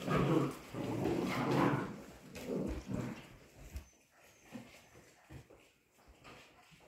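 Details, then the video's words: Polish Hunting Dog puppies at 55 days old wrestling in play; low rumbling growls and grunts dominate the first four seconds, fading into soft scattered yips and scuffling. "Gończy Polski zabawa szczeniąt dzień 55. Polish Hunting Dog puppies' play day 55"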